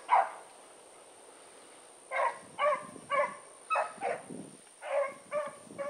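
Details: Blackreek pack dogs (Choco, Dino, Johnny Ringo, Mingo) on an evening run, 16 August 2014, heard farther off: one bark, a two-second pause, then a string of spaced barks over a steady high-pitched whine and low rustling.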